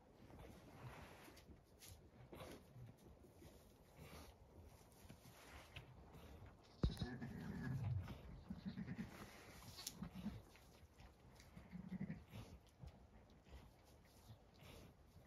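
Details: Zwartbles ewe Damaris on a farm in County Kilkenny, Ireland, with twin lambs just born in the dead of night, one pulled. She gives soft, deep, rumbling bleats in short bursts over the later seconds, among rustling, handling noises and one sharp click.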